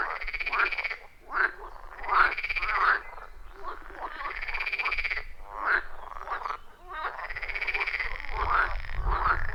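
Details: Wild frogs in a loud chorus at a quiet forest pond, captured with an iPhone 14 Pro and Shure MV88+ microphone; rapid rattling croaks repeat in rhythmic bursts, overlapping callers, faint low rumble beneath.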